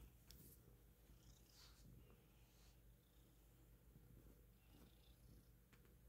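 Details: Nestled comfortably among pillows and blankets, the cat Jambalaya purrs indoors: a continuous low, even rumble that holds steady throughout, with light rustles on top.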